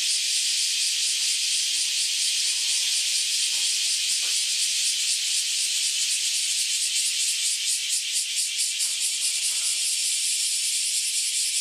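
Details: Newly emerged cicadas, after roughly ten years below ground, chorusing loudly together; continuous high shrill buzz with faint pulsing ripples, steady in volume throughout.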